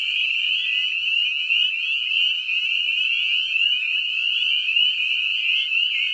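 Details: A dense breeding chorus of spring peepers (Pseudacris crucifer) calling in a septic lagoon: high, piercing peeps overlap into one continuous ringing wall of sound, deafening up close.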